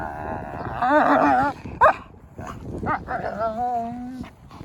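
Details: Two wolfdog puppies clowning around over a rope toy give warbling growls rising and falling in pitch, broken by short yips, then drawn-out low moaning grumbles.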